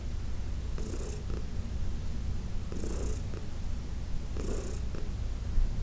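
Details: Heidi, an elderly cat adopted in 2019 from the Humane Society of New York City, purrs low and steadily under massage, with three breathy swishes spaced about two seconds apart.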